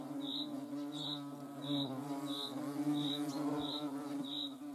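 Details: Hornet in the Eifel, Germany, giving a continuous low humming buzz that wavers slightly in pitch. Overlaid is a thin, high chirp from another insect, pulsing at regular intervals of about two-thirds of a second.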